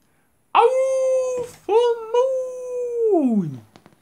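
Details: Dog howling at the full moon, a second howl: two long steady tonal howls separated by a short break, the last one sliding smoothly downward and fading; brief faint noise between them.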